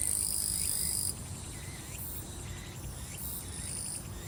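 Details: Grass insects singing in summer at Soyosan, Korea: a steady, very high-pitched continuous trill that drops in loudness after the first second, with faint looping chirps in the middle range and a low background rumble.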